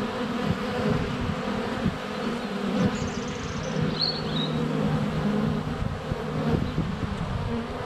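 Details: Swarming honey bees at a hive entrance in February sunshine, with a GoPro Hero 7 Black held less than a foot from the hive; a thick, continuous low buzz, brief high bird chirps midway and light taps of bees on the camera.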